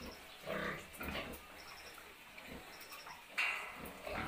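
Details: Newborn piglets suckling on a farm; short squeaky squeals and soft grunts come in bursts about every half second to second, over a steady low background hum.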